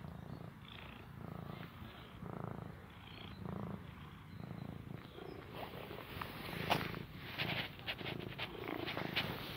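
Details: A cute, shy little cat purring while giving a quick hug: a steady low rumbling purr pulsing in regular breaths throughout, with rustling and handling noises growing louder toward the end.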